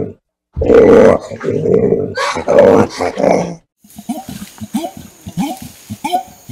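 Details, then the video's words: Orangutan giving loud, rough, broadband roaring bursts for about three seconds, followed by a quieter run of short, soft squeaky calls after a brief silence. "Orangutan sesi, Orangutan Sesleri, Orangutan Sound Effect"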